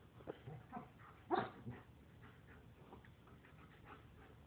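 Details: German shepherd and Lab puppies play-fighting indoors; a run of short, rough yips and growly bursts, loudest at the middle, then softer scattered grumbles with background hum.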